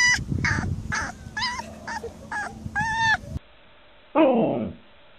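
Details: Alaskan Malamute vocalizing in a series of short, tonal yowls about every half second. After a cut, one loud cry sweeps steeply downward, with low rumbling noise in the background.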